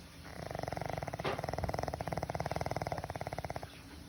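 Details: Elderly pug giving one sustained, human-sounding snore. A rapid rattling vibration holds for about three seconds and fades at the end, with faint room hiss behind it.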